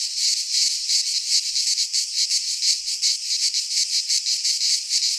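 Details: Cicadas of the Greek fauna singing in a pine forest in midsummer: a piercing buzz swelling and fading in fast pulses, close to three per second, continuous and alone.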